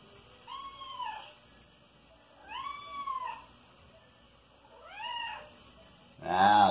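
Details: Five-month-old kitten Soneca, a flying-insect hunter filmed at home, gives three drawn-out meows, each arching up then falling, spaced about two seconds apart, then a sudden loud clattering burst at the end.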